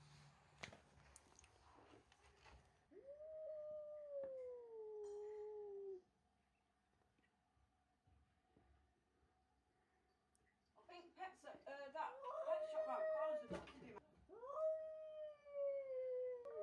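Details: Domestic cat George, upset at the arrival of young kitten Milo, who stole his tuna, lets out two long, wavering, moaning yowls. Between them come a quiet pause and a burst of rough, clattering noise.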